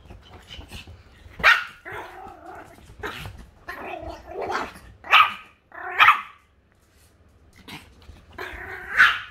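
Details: Indoor dog giving a series of rough, gargling barks and growly yelps in uneven bursts about once a second. Quiet pauses fall between them.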